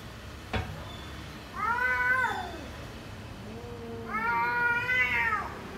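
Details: Domestic cat, filmed indoors with others in a home for cats, gives two clear drawn-out meows about two seconds apart, each rising then falling with bright harmonics, between them a softer low meow and a sharp click near the start.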